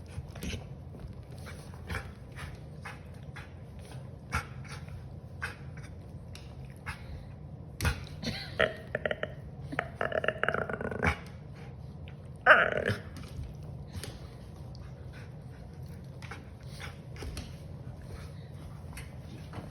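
A Siberian Husky gives a few brief, throaty whines and grumbling yowls in a quiet room.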